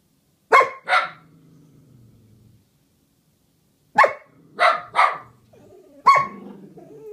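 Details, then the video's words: Two pet dogs, Pepper and Meishka, 'singing together' in a duet: a pair of sharp barks, a pause, then four more abrupt barks in a loose cluster, with a low rumbling undertone between some of them. "Doggy Duet"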